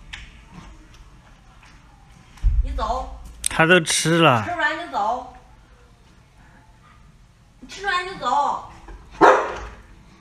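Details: Alaskan Malamutes of a giant family group waiting to eat together at feeding time; wavering, rising-and-falling howl-like vocal 'talking' in a long burst, then another bout seconds later, with a person speaking Mandarin to the dogs.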